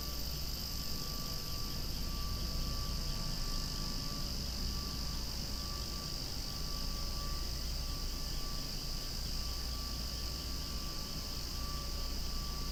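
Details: Cicadas call almost deafeningly among swaying flowers outdoors, making a steady, unbroken, shrill high drone that never pauses, over a soft low rumble.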